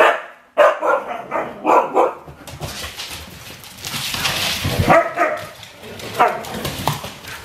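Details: Domi, a four-year-old rescued husky mix crossbreed newly settled in a home, gives a few short harmonic barks in quick succession early on, followed by a stretch of broad rustling noise with fainter vocal bursts.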